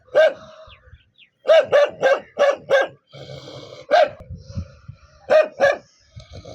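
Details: Angry dog barking in sharp, harmonically rich barks, a single bark, then a rapid run of five, a lone bark, and a closing pair, with low rumbling between the bursts.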